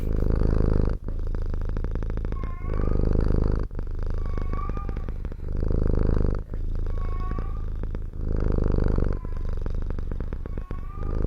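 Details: Countryside pet cat purring loudly and close, low continuous rumble pulsing in breathing cycles about every two to three seconds, occasional faint high squeaks between cycles.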